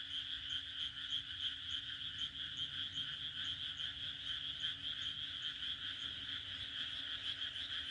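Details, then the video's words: Countryside frogs in Japan calling through a June night, their croaks merging into a continuous bright, pulsing drone with faint rhythmic beats throughout and a low hum beneath. "日本の田舎の６月の夜 蛙の鳴き声 A June night in the countryside of Japan, the croaking of frogs"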